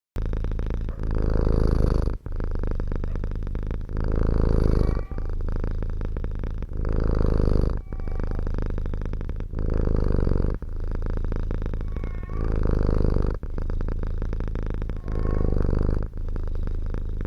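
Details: Domestic cat kept in the countryside, purring steadily close by, a deep rumbling rhythm alternating in long phases roughly every two seconds, with faint brief squeaky tones at a few phase changes.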